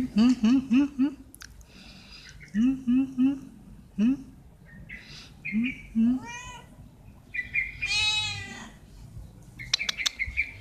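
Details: Hungry stray cats at a feeding of veg rissoles give rapid bursts of short low mews in quick runs, then a few longer wavering meows; a person talks between the calls.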